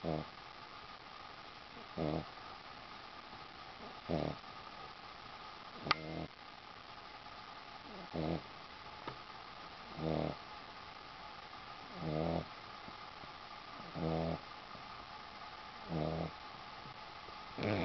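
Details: A Boston Terrier sleeping on a sheepskin gives a regular run of soft, low snores, one rough breath roughly every two seconds for nine snores, over a faint room hum with a brief click midway.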